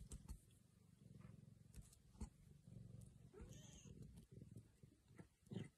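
An Oriental Shorthair cat gives a brief, bending meow over a steady, low rumbling purr.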